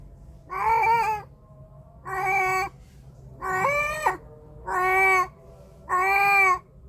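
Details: Domestic cat recorded on a Samsung A53 phone microphone, giving five steady, harmonic meows, each about half a second long and repeated roughly every second and a quarter, with a faint low room hum between calls.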